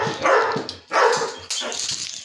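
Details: Bear, a pet dog, barks while playing: three short, harsh barks, the first two loud and close together and a softer third after a brief pause, with music playing underneath.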